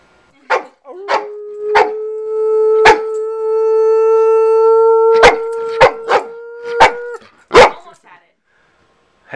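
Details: Sadie, a family dog, barking indoors at home: sharp, short barks come about eight times over nine seconds, unevenly spaced, while a steady, even tone holds underneath for several seconds in the middle.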